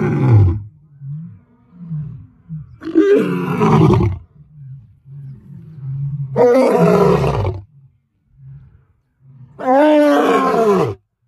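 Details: Close-range lion giving a series of deep roars, each about one to one and a half seconds long, separated by low rhythmic grunts, repeated roughly every three seconds.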